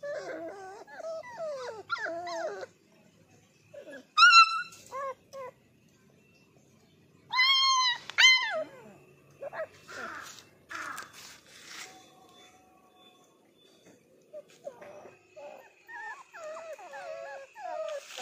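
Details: A Labrador Retriever puppy whimpers and whines in high, wavering notes, with sharper yelps in between.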